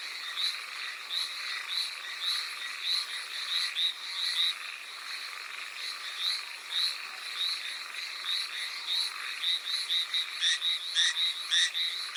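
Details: Rainy night chorus of Hallowell's tree frog on Amami Oshima, Japan: repeated high, bright croaking notes at an uneven pace, growing into a louder, faster string of pulses toward the end, rain hissing steadily behind.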